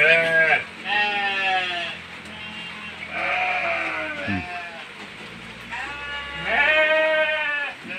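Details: Hungry goats in heavy rain, screaming to ask for food: about four loud, quavering, nasal bleats with strong wavering harmonics, separated by short pauses, over a steady hiss of rain.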